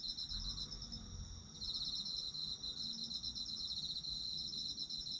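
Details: Autumn insects, recorded for sleep relaxation, in a steady high chorus of trilled chirps, one pulsing layer stopping briefly then resuming, over a low rumble of ambient noise.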